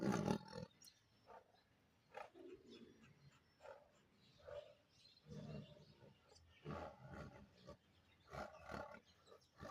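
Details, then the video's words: Bengal tiger opening with a loud, harsh roar, followed by a string of shorter, throaty grunting roars spaced irregularly over ten seconds and rising and falling in force. "tiger original sounds bangal tiger"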